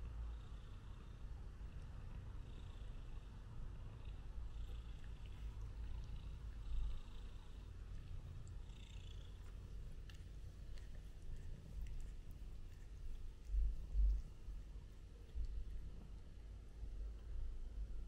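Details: Prince, a male British Shorthair cat, being groomed by an older white and black male cat named Tom, filmed on a DJI Osmo Pocket 2; a steady low rumbling purr runs throughout with faint background noise.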